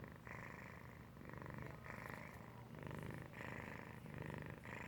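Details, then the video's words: Domestic cat Felix asleep and purr-snoring, a deep continuous rumble swelling with each inhale and exhale, about four breath cycles, a faint soft click near the middle, otherwise quiet. "Felix purr-snoring"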